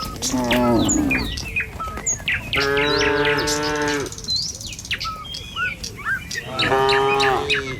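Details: Tame cattle moving along a village road toward the pen in the morning; a brief moo, then a long, even bellow lasting over a second, and a final moo near the end, with lively birdsong between.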